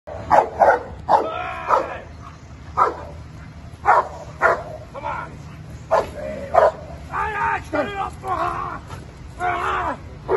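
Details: Giant Schnauzer Uran von Elberfeld doing protection work against a decoy barks in loud, rough bursts, sometimes doubled, at irregular intervals of one to three seconds, with human voices mixed in between.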